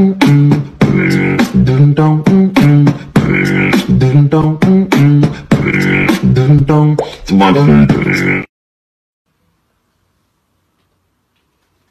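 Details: Rhythmic human beatboxing with vocal tones fills the first eight seconds, then falls silent.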